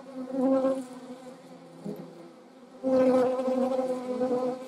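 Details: Hornet buzzing in the Eifel, where wasps and honey bees were also filmed: two loud passes of humming wingbeats, the first under a second long, the second longer and sustained, with a quieter hum between.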